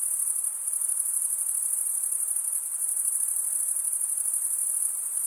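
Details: Crickets keep up an uninterrupted high, ringing trill, the stridulation of males drawing one wing across the serrated vein of the other, steady in pitch with gentle fluctuations in loudness.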